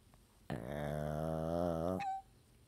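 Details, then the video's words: Two pet dogs ganging up on their owner indoors, one sustained low harmonic growl about one and a half seconds long, steady and rumbling, followed by a brief higher squeak as it ends. "2 dogs gang up on owner"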